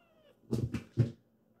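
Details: Kitten Kyu-chan, a rescued foster kitten indoors, chasing her sibling Hatch away from their mother with a meow; three short low harsh bursts in quick succession, the last loudest.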